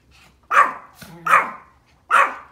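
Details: Pomeranian barking at deer outdoors: three sharp, loud, high barks spaced under a second apart, with a faint quieter bark between and a person murmuring softly.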